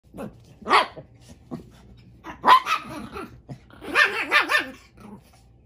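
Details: Chihuahuas reacting with separation anxiety when their human puts on shoes and appears to be leaving the house: sharp high yips and barks in scattered bursts, ending in a quick run of wavering, whiny, growly barks, with a low steady hum beneath.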